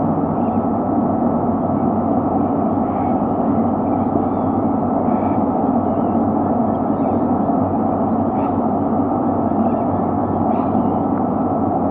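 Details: Steady, dense rushing noise with a constant low hum throughout, with no clear animal calls standing out.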